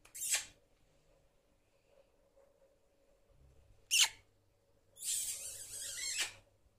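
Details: Errol, a pet prairie dog, happy on reaching his weekend house, gives jump yips indoors: a short shrill squeal at the start, another near four seconds, then a longer, drawn-out, noisy squeal lasting over a second.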